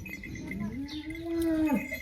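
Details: Holstein Friesian heifer with two teeth, due to calve in about ten days, from a cow giving 22–23 litres of milk: one drawn-out tonal moo, rising slowly, holding, then dropping sharply at the end, over light background noise.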